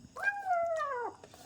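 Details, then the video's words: Pet kitten at home indoors, a single drawn-out meow lasting about a second, clear harmonics starting high then slowly falling and dropping at the end; a person speaks softly nearby. "எங்கள் வீட்டு பூனைக்குட்டி எவ்ளோ அழகாக சாப்பிடுகிறது பாருங்கள்"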